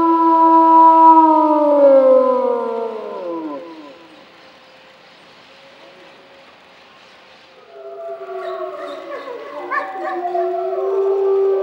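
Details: Wolves at Feldman Ecopark howling. Several overlapping harmonic howls slide downward over four seconds, then a quiet pause. From about eight seconds a many-voiced chorus of wavering, layered howls swells back in.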